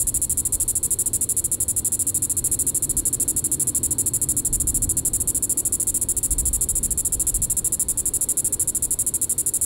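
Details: In Reno County, Kansas, at Sand Hills State Park on the evening of July 20, 2014, a Diceroprocta vitripennis cicada gives a shrill, sustained buzz of fast, regular pulses with faint low rumble beneath.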